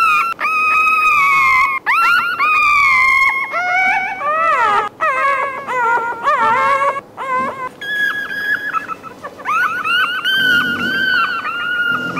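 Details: A puppy cries in long, wavering wails broken by short, sharp whimpers that swoop downward, with quick breaks between bursts, and sustained high whines toward the end.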